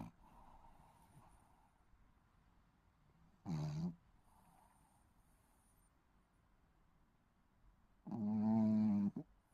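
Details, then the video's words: A sleeping baby Shih Tzu snores. Two harsh, buzzy, low snores come roughly four and a half seconds apart, and the second is longer and strongly rasping. Soft room hiss fills the gaps. "시츄 코골이 아가"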